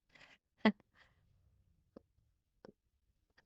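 Quiet room with a few sharp clicks and brief crunching sounds, no animal voice heard.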